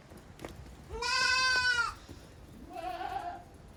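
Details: Goat kids playing vigorously in a farm exercise yard, 30 April 2023; a loud, strongly harmonic wavering bleat lasting nearly a second, followed by a softer, shorter second bleat, with light knocks in the background.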